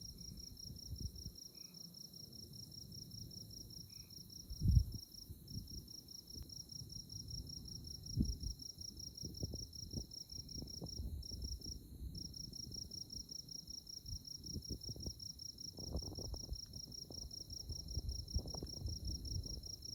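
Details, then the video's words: A continuous, evenly pulsed high insect trill on a moonlit Kansas tallgrass prairie night at Konza Prairie Biological Station, briefly interrupted twice, with sparse faint lower notes, gusty low wind noise and occasional knocks. "Moonlit Night in Konza Prairie 🌙 | Insect Chirping Sounds"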